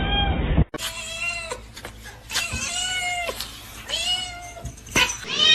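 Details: Domestic cat, described as jealous, giving repeated drawn-out meows with clear harmonic stacks, each call arching then falling, about four in five seconds; a brief burst of other sound at the start, faint room noise underneath.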